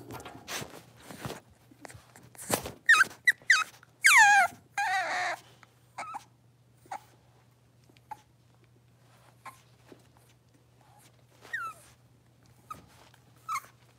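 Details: Five blenheim Cavalier King Charles Spaniel puppies, born at New Year's, settling into a bigger indoor pen: sharp high squeals sliding downward, with scattered yelps among loud clicks and knocks, then quieter single squeaks over a low hum.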